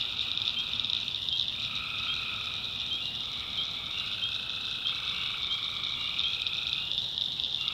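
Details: Tree frogs calling at night in a North Carolina backwoods swamp: a dense, continuous high trilling chorus, overlaid by lower, buzzy, drawn-out calls from other frogs that rise and fall in overlapping waves, with no pauses.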